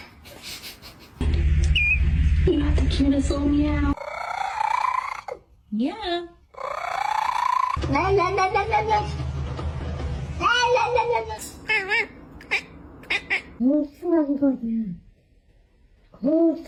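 Several brief meows from a domestic cat, each bending up and then down in pitch, come in quick succession. People talking and some music with a low droning hum are also heard.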